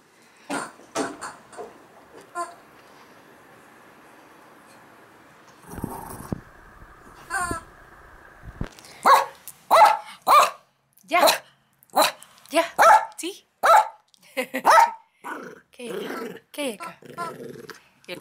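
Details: Playful morning session with Max, a Yorkie-schnauzer mix dog born in 2006: scattered light clicks and a short whine, then a rapid, irregular volley of high yips and barks, some doubled, continuing to the end.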